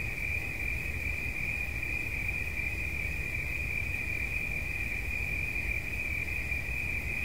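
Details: Cricket producing an endless even trill at a single high pitch, with low rumbling noise beneath it.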